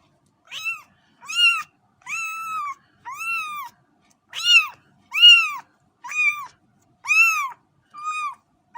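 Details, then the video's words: Repeated short meows from a cat, about eleven in under nine seconds, each a brief arched mew with even spacing and no other sounds. "صوت قطة"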